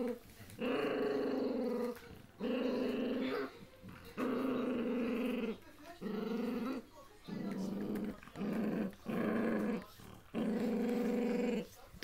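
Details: Puppies in their first days growl repeatedly, giving about seven low, rumbling bursts over twelve seconds, each roughly a second long, while a person speaks softly nearby.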